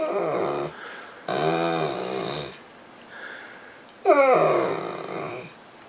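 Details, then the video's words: Saint Bernard named Misha, a female pet lying on a couch indoors, crying for attention and wanting to be petted; drawn-out moaning whines with harmonic, wavering tones, three long vocalisations separated by short pauses, the last starting with a sharp rising-falling yelp. "St Bernard Dog Crying for Attention"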